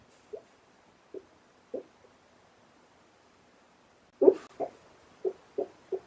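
A sleeping Shar Pei gives short, muffled whimpers and yips, spaced irregularly, then a quicker run of them.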